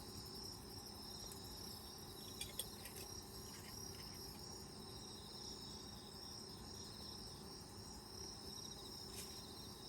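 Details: Autumn insects heard from outside an open lodge tent while camping in the countryside: a steady, dense chorus of high, shimmering trills and pulsed chirps layered at several pitches, with a few soft clicks and taps nearby.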